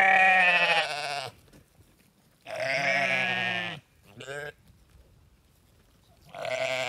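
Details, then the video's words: Sheep bleating in three loud, drawn-out baas about a second long each, separated by short quiet gaps, with a fourth bleat starting at the end; nasal, wavering voice and no other sounds. "Sheep Sounds: Baa-rilliant Sheep Noises for Kids!"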